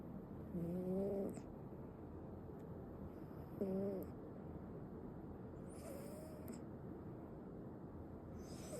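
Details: Sleeping male Ragdoll kitten snoring: short squeaky, whistled tones with a slight rise, recurring about every two to three seconds over soft steady hiss.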